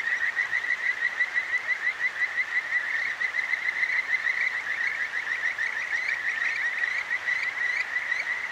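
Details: Kajika frog, the 'songstress of the clear stream', at night in Akigawa Valley, Tokyo: loud, continuous trills of crisp rising whistles, roughly three notes a second, sustained throughout with only a low wash of stream water beneath.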